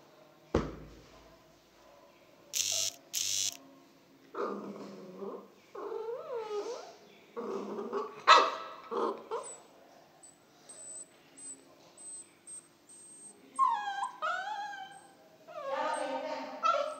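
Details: A one-month-old pit bull puppy, coaxed to bark by a person eating a biscuit treat in front of it, gives thin, high wavering yips and whiny barks in short bursts, with sharp knocks and soft human voices between.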